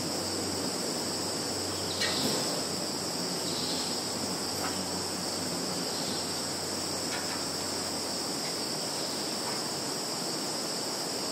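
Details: Continuous insect chorus from a Russian field in the Kaluga region's Zhukovsky district, September 11, 2019, phone recording: a thin, high, even whine in layered bands, scattered faint clicks and a soft low hum underneath.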